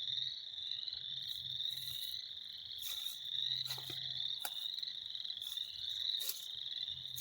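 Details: Frogs calling in spring as a thick, unbroken chorus of high pulsed trills, many voices overlapping, broken by a few sharp clicking knocks and soft low rumble.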